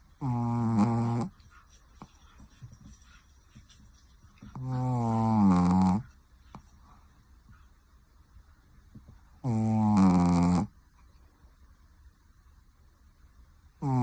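A Pekingese snores in loud, raspy, harmonic bursts about every four to five seconds.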